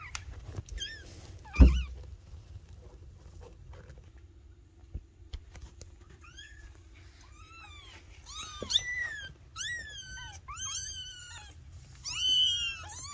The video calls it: Adorable Kittens Meowing - The Cutest Sound in the World?